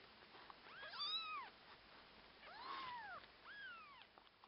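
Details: Orphaned kittens meowing indoors while a husky puppy helps with them: three loud arched cries that rise and fall, roughly one every second and a half, in a quiet room.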